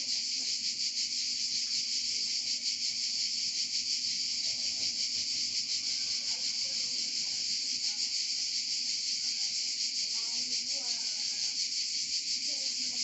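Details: Cicadas chorusing in Provence, a relentless high buzzing hiss with a quick pulsing texture and brief faint fluttery sounds beneath it midway and near the end.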